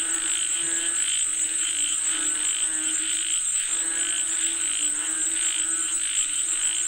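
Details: Frogs chorusing for rain: overlapping croaking pulses repeat steadily with brief gaps, a low drone beneath them and a continuous thin high whine above.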